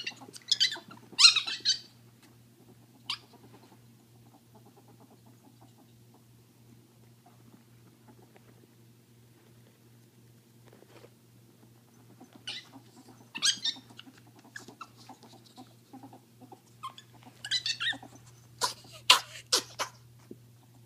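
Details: Two female ferrets playing: the deaf one gives shrill, scratchy screeches and the hearing one gives quick bursts of chuckling dooks between quiet pauses. This is normal play, often to establish dominance, and dooking means happy or excited.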